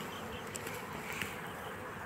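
Honey bees give a steady, dense buzzing hum that holds an even level throughout.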